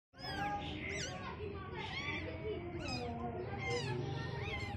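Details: Baby cats seeing the world for the first time, several kittens giving overlapping high, arching meows in quick succession over a steady low background hum.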